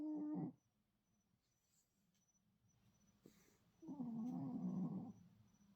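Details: Shih Tzu dog snoring soundly while sleeping beside a rescued feral cat: a short wavering nasal tone, then after a quiet pause a longer buzzy, warbling snore of about a second, with a faint high steady whine throughout.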